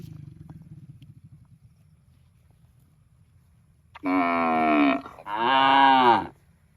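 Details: Cow mooing in a park: after about four seconds of low rumbling, two loud, long harmonic moos, each about a second, the second slightly falling at the end.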